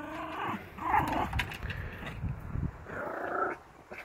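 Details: Yorkshire Terrier hunting a lizard in NC, grumbling with low, rough growls mixed with higher whiny tones, a pause, then another whining growl before fading.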